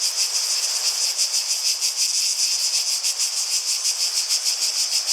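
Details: Cicada song as a loud high-pitched rasping drone, beating in rapid regular pulses a few times per second, filling the short passage.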